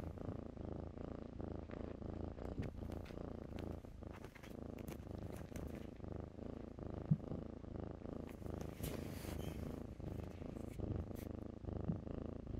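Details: Kittens playing in blankets keep up a steady, low purring drone with soft breath-linked pulses, overlaid by light clicks and fabric rustling.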